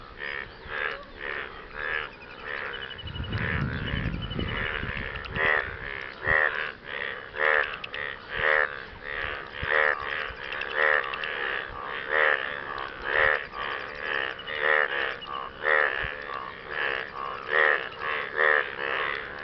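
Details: Frogs calling for partners after rain: a steady chorus of harsh, pulsed croaks with a buzzy, ratcheting texture, repeating about once a second, several voices overlapping, with a brief low rumble early on.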